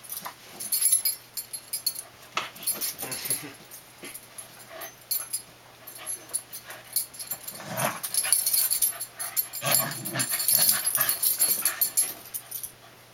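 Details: Young Dandie Dinmont Terriers Dash and cousin Patty, three and two, wrestling in play; uneven bursts of throaty growling, wheezy whines and high yips, louder toward the end, with rustling movement.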